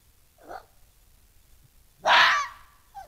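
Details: Red fox vixen fighting off a bigger, stronger intruding male at her den: a short, soft rasping squeal, then a loud, drawn-out hoarse scream lasting about half a second, over a quiet background.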